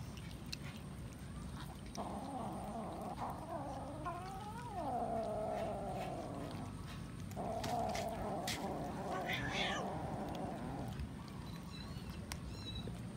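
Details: Domestic cat eating raw chicken gives a long, drawn-out, wavering moan-like yowl lasting about nine seconds, with a sliding dip in the middle and a short break before it resumes; steady low background noise and faint high chirps near the end.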